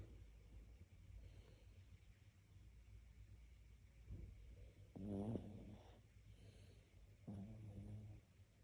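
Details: Sleeping dog snoring: a quiet low rasp, then two louder, buzzy, throaty snores near the fifth and seventh seconds, all over a constant deep background hum.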